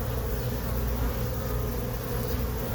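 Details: Honey bees in a hive box they moved into on April 29, 2022, heard during a hive inspection: a steady, dense low hum of many bees droning without pause throughout.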